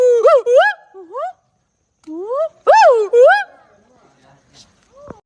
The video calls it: A Gibbon marks its territory by vocalizing singing